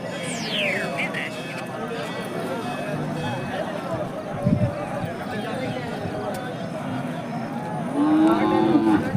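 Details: Hallikar cattle at a crowded temple cattle fair, a fairly low, drawn-out moo near the end rising over steady crowd chatter and bargaining voices, with brief music early on.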